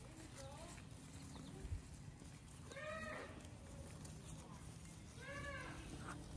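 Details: Baby goats hopping around and eating grass outdoors; two clear wavering bleats, rising then falling, about two seconds apart, over steady low rumbling background noise.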